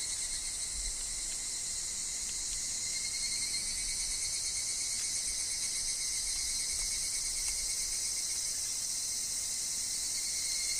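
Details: Higurashi, evening cicadas, calling in a wooded grove: a dense, shimmering high chorus that holds steady throughout, with a thin sustained lower whine beneath and faint wind and leaf sounds.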